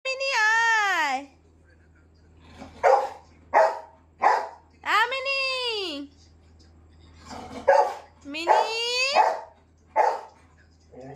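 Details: Golden retriever puppy whining because it wants its cat toy: long, arched, tonal whines that rise and then fall, spaced a few seconds apart, mixed with short bursts of a person speaking nearby.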